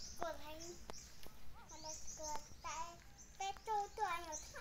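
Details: Clear, piping puppy whimpers from a litter with their mother dog: short tonal cries that dip and rise, coming in a rapid irregular series against a quiet hiss.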